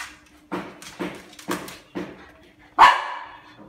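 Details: Siberian Husky at play with a toy snatched from another dog: short low woofs repeat about every half second, then one louder, harmonic-rich bark rings out near the end before a soft trailing whine.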